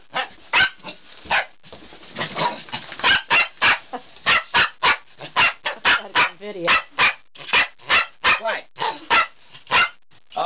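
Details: A male Bichon Frise barks in a steady run of sharp, high yaps about twice a second, apparently wanting to go out for a walk. A person's voice is heard briefly at the start.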